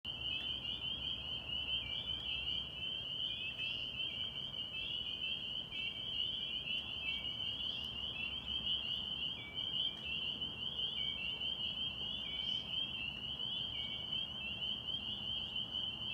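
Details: A dense springtime chorus of spring peepers (Pseudacris crucifer) at a Massachusetts pond, high piercing peeps overlapping into a continuous shrill ringing.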